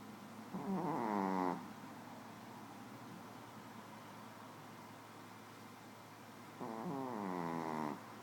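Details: Small female Shih Tzu snoring while asleep indoors: two drawn-out, rasping snores with a harmonic, wheezy buzz, each lasting about a second, separated by roughly five seconds of quiet breathing.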